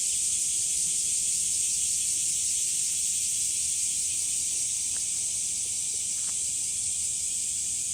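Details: Hot-summer cicada chorus at Umami Hills Park with sunflowers, a constant sizzling high drone without breaks, two brief faint clicks near the five- and six-second marks under the steady buzz.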